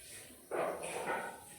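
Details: A domestic cat lets out a single drawn-out harmonic meow lasting under a second, starting strongly and tapering off, against a quiet indoor background.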